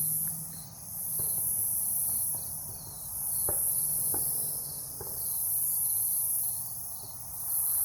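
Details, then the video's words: Cicadas at night in a forest near a farm with a fallen tree, Omaha, Nebraska, 3 August 2021. A high, hissing buzz swells and fades in waves every two to three seconds over a low steady hum, with faint scattered clicks. "Forest near the farm at night, cicadas"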